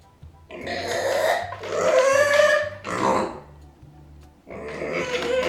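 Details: Micro pig Arya squeals in anger after her owners leave: three loud, strained, rasping squeals in quick succession, a pause, then a final squeal, over a faint low hum.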